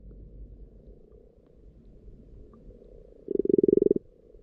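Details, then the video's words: Recorded underwater in a pond with frog spawn appearing, a faint purring frog chorus runs throughout until one close frog gives a loud, rapidly pulsed rattling croak lasting under a second. "Frogs Croaking in the Pond"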